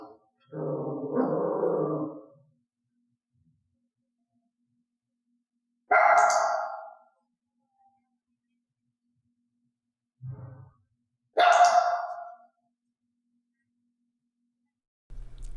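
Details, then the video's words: Elaine, a dog being clicker-trained to bark loudly, starts with a lower, rougher sound. Two sharp, loud barks follow about five seconds apart, with a short low thud between them in an otherwise quiet indoor setting. "تدريب الكلب ان لا ينبح"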